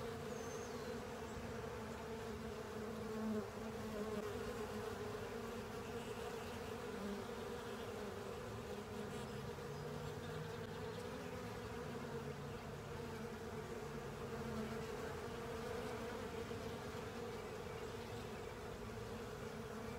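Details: Swarm of honey bees and companion insects cleaning a honey filter; constant layered wing hum with a low drone, occasional brief louder passes of single insects near the start.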